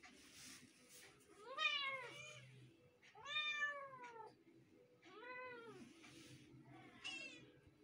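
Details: Two kittens meowing in turn, four arched, wavering meows about every two seconds, rising then falling, with a faint low hum underneath.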